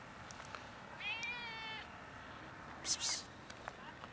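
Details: Stray cat, one of three, meowing to ask for food in winter cold during a routine walk; one clear, steady meow lasting almost a second, followed by a sharp psst hiss from a person.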